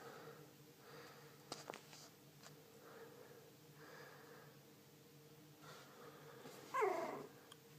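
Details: A male Cocker Spaniel puppy, the only survivor of his litter and not yet named, gives a short, sharp yip in a quiet room with soft human voices nearby.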